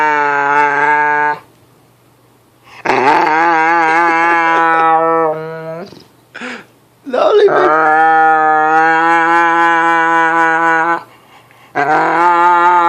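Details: Dog making weird noises: a series of long, loud, sustained moaning howls, some steady and some wobbling up and down, separated by short silences and a few brief grunts.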